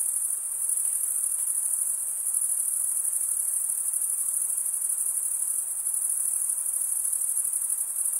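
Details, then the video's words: Male crickets stridulating, rubbing one wing's toothed vein against the other, in a steady, very high, shimmering trill that never pauses, with a dense chorus filling the air and no other sounds. "Most relaxing cricket sound for 8 hours"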